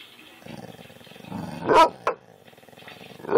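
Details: A domestic dog named Kane growls while reacting to dog videos, filmed with an Android phone. A rough, throbbing rumble builds, then two abrupt bark-like bursts follow in quick succession, with some speech mixed in.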